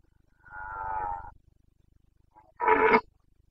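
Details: Carpathian red deer stag in Bucovina during the breeding season, 29 September 2022: a drawn-out harmonic roar lasting almost a second, a pause, then a shorter, louder, harsher bellow. No other sounds.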